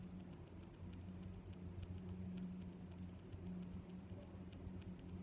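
Cricket chirping in short, high, bright pulses repeated a little under once a second.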